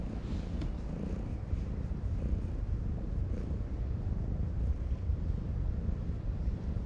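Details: Deep, even purr from a ginger tabby cat stroked on a harbour breakwater, a low throbbing drone running unbroken for about seven seconds over light wind-like hiss.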